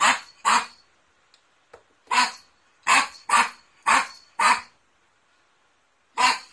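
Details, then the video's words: Poodle barking in a barking and howling compilation: a series of loud, rough barks, mostly singly or in close pairs, eight in total over several seconds, with brief quiet gaps and no other clear sounds. "POODLE BARKING - POODLE HOWLING AND BARKING COMPILATION"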